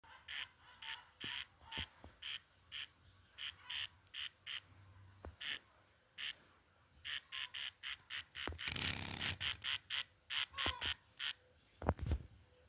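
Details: Cricket whose chirp rate rises as the air warms: short, sharp, high-pitched chirps repeated roughly twice a second in uneven runs, with a brief burst of rushing noise midway and a quieter stretch between runs.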